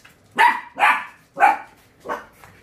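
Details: Dachshund barking at someone who has arrived while its owner asks whether it is angry: four sharp, loud barks spaced about half a second apart, the last one softer, with brief speech nearby.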